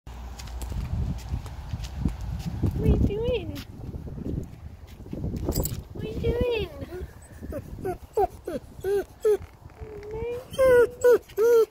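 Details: German Shepherd greeting its owner: tonal, whining yelps that rise and fall, coming faster toward the end as short calls repeated about twice a second, after a start of rustling and thumping handling noise.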